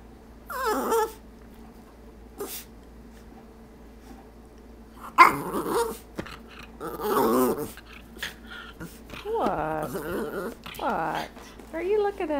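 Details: Indoors, pet dog Stormy 'talks' for a treat from the jar, producing a run of varied whines, yips and warbling, grumbling vocal bursts, some short, some drawn out, spread across the whole stretch with brief gaps.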